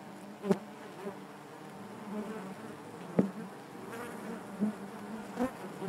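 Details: Inside a honey bee hive, a continuous low droning hum from many bees, broken by sharp little clicks or taps roughly every second or two as bodies knock against the comb.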